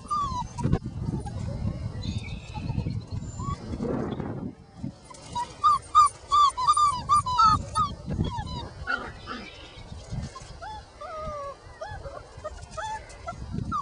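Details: Five-week-old puppies playing outside whine after noticing a person nearby; thin, rising-and-falling whines come in quick irregular bursts, mixed with yips, scuffling and low handling noise.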